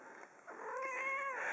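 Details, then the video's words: Kitten miaowing at wrong notes while Europe's "The Final Countdown" is played: one drawn-out, quiet, tonal meow that rises and then falls, against the background music. "Kitten miaows at bum notes"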